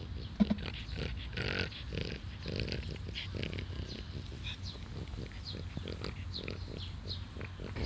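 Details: Twelve-year-old French Bulldog named Taro, filmed 16 July 2016, giving a string of rhythmic low snorting grunts, pig-like and nasal, in short bursts roughly every half second, with faint voices in the background.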